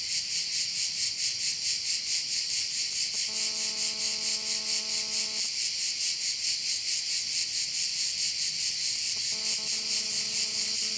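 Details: Chorus of crickets over a bay on Korčula, Croatia, a bright hissing drone beating roughly 136 times a minute; a low humming tone with overtones, like a distant engine, comes and goes twice.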